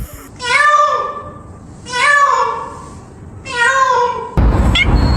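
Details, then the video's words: Domestic cat meowing indoors in a small room: three drawn-out, harmonic-rich meows about a second each, spaced roughly every 1.5 seconds, followed by a burst of broadband rustling noise. "This is the cutest sound"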